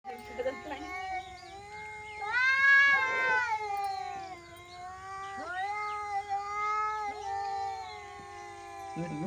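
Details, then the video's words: An angry cat in a village, giving long, drawn-out wailing meows that swell and sag in pitch, several in succession over nine seconds, with people talking in Hindi in the background. "Angry Cat Sound Effects | Cats Meowing"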